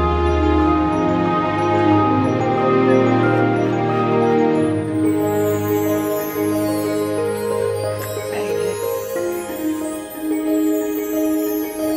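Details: Soft new-age background music with sustained tones and sweeping high synth glides, no barking or other animal sound.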